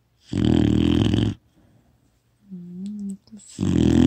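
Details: Four-month-old female retriever puppy snoring loudly in her sleep, filmed on a phone: two long, rough, rasping snore bursts about two seconds apart, with a brief low hum between them.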